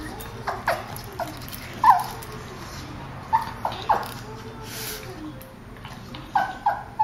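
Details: Two tense dogs, a Boston terrier and a petit brabançon, restless in a vet clinic waiting room; repeated brief whining yelps, rising and falling, spaced every second or so over low waiting-room hum.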